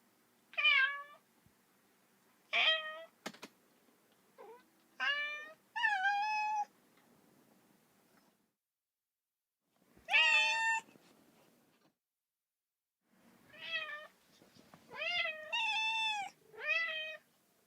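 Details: Kitten crying as if calling for its mother, sounding lonely and sad: clusters of high, harmonic meows, some short and some drawn out with a slight rise and fall, separated by silent gaps of a few seconds.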